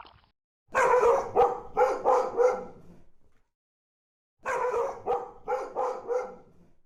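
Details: Dog giving two bursts of four sharp, loud barks in quick succession, the bursts separated by about a second and a half of silence.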